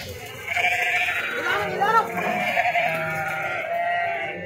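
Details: Sheep being unloaded at Pattikonda market, Kurnool district, Andhra Pradesh, India, jumping down; overlapping wavering, nasal bleats from several animals run almost continuously for four seconds, with crowd murmur underneath.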